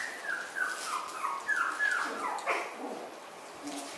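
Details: Several puppies from three litters gathered together whine in a quick series of high, descending whimpers, each sliding downward, packed closely for a couple of seconds before trailing off into quieter rustling; possibly Miniature Schnauzer litters.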